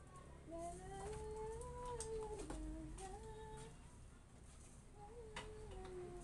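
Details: Arguing Siberian Husky giving soft, tonal, talking moans that climb and dip in wavering phrases, separated by brief pauses, over faint background clatter.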